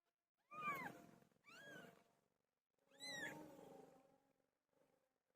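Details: Pet cat Pilo during the time she gave birth, calling three times: two drawn, falling meows in quick succession, a pause, then a longer, strained meow that bends upward. A faint trailing murmur closes the sequence indoors.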